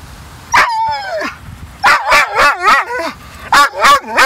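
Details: Pet dog protesting at the beach when told to leave after a long fetch session; a drawn-out falling whine, then bursts of loud wavering, warbling yelps and howl-like whines while a person repeatedly urges it to come on and go.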